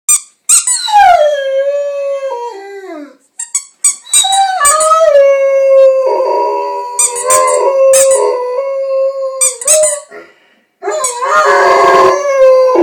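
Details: Frank, a pet Rhodesian Ridgeback, howls along with a squeaky toy indoors: long wavering tonal howls sliding down in pitch, broken by sharp high squeaks of the toy between and over his voice.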